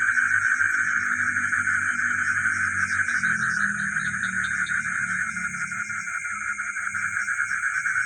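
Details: At night in the village, frogs keep up a dense trilling chorus while a high continuous shrill tone persists; deeper droning sounds run underneath through most of the recording.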